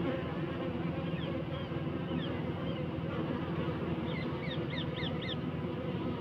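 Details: Honey bees buzzing in their hive to regulate inside temperature, a steady low drone throughout, overlaid near the end by a rapid series of bright, rising bird chirps repeated about twice a second.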